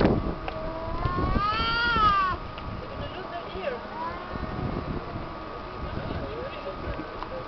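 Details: Two cats by the beach in Tel Aviv, Israel, singing to each other in a hostile rather than loving way: one loud, drawn-out harmonic yowl rises then falls, followed by fainter wavering calls over traffic noise and a steady background tone.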